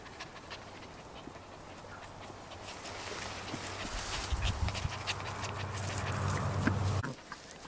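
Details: Cairn Terrier puppies at a breeding kennel in Escaudes pant quickly and give soft whimpers over a steady low hum.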